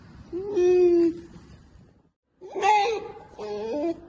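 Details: Indignant polar bear cub examining a camera it has found, giving three drawn-out nasal whines, the first steady and level, the next two wavering and rising, separated by a brief silence.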